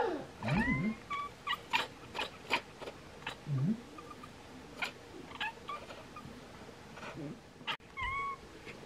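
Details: Bengal cats Bonnie and Isla chirp at swallows that are getting ready to migrate. Low trilled chirrups give way to short rising chirps, scattered between brief clicks and fainter high tweets in the background.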